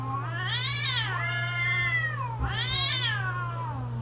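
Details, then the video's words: Cats in mating season caterwauling: two long drawn-out wails, each swelling upward in pitch then sliding back down, rich and nasal, about a second apart, over a steady low electrical hum. "creepy Cats Talking"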